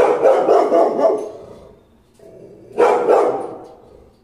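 A Rottweiler gives deep, loud barks in two bursts separated by a brief pause.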